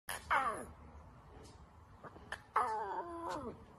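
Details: A young lion cub gives two short strained roars, each a wavering moaning cry falling in pitch, with a quiet pause between them.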